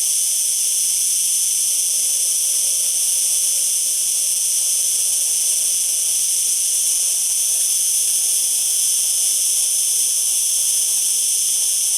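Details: Continuous cicada song, a dense shrill whirring drone that never breaks or changes in loudness, layered in high metallic bands, with nothing else audible over it.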